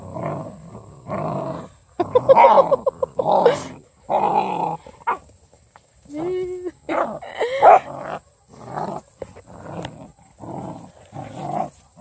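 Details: Female Redbone Coonhound puppies, part of a litter of eight, mobbing a blue toy hippo: short rough growls and yappy barks in bursts, broken by brief pauses, with a person talking and laughing nearby.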